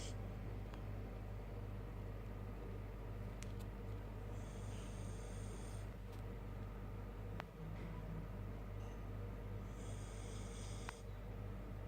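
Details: Sora the Siberian Husky asleep, snoring in slow airy rasps about six seconds apart, with faint ticks and a continuous low hum behind.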